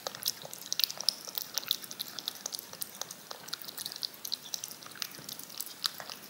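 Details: A cat working yogurt off a spoon with its tongue; light wet clicks and occasional sharper smacks, fairly rapid, the only clear sound.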